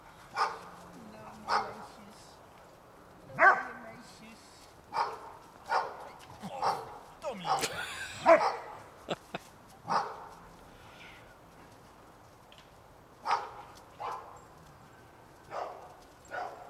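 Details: Old English Sheepdog puppies, eight weeks old, playing in a freezing garden on New Year's Day 2009 with their mother and father; short sharp barks and yips come in irregular bursts, with speech mixed in.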